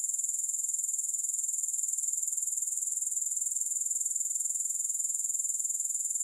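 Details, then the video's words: Grasshoppers giving a steady, high-pitched shrill that pulses rapidly and evenly, unbroken throughout, with no music or other sounds. "3 Hours of Grass Hopper Sounds"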